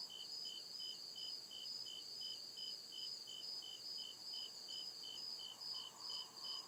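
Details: Night chorus of crickets in the deep woods, a continuous run of bright, high pulsed chirps at a steady pace of roughly two to three per second, layered callers, otherwise quiet forest backdrop.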